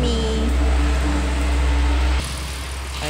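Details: A steady motor engine hum with a low drone and whining tones cuts to a quieter rumble after about two seconds.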